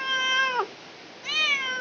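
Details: Two clear meows from a village cat giving birth, the first held steady then dropping at its end, the second rising after a brief gap, both bright with stacked harmonics.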